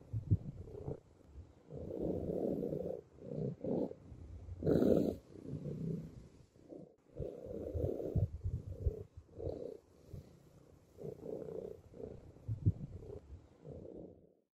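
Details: A cat that came to trust a person and decided to eat purrs while feeding: a low, rough rumble in long pulsed stretches broken by short pauses, with a brief burst of broadband noise near the middle.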